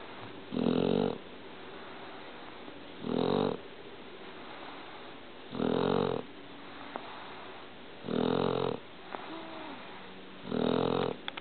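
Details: A Shar Pei snores in its sleep, five rasping, droning snores repeating roughly every two and a half seconds, with soft nasal whistles and breathing noise in the gaps.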